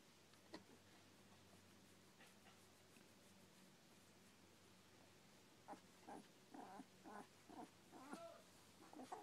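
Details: A heap of eleven-day-old Smooth Collie puppies; the first half is mostly quiet rustling, then from about six seconds short nasal grunts and whimpers come roughly twice a second.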